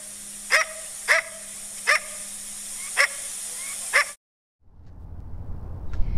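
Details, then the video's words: Coyote barking, a call used to communicate threats to other coyotes within a pack or to warn distant animals: five sharp, short barks spaced about a second apart, then a brief silence and a rising rush of noise. "barking is used to communicate threats to other coyotes within a pack, or to warn animals far away."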